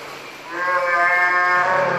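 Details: Northern fur seal bull uttering a single harmonic, bleat-like call. It rises in loudness after a quiet start and holds steady for over a second before tapering off.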